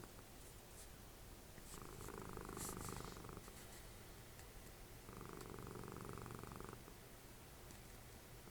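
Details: Snoring from Dessie, a cuddly house cat and mother of Fritjof, curled up while the TV is on. Two steady, throbbing rumbles, each close to two seconds long, alternate with quieter breaths, and faint soft ticks are heard early on.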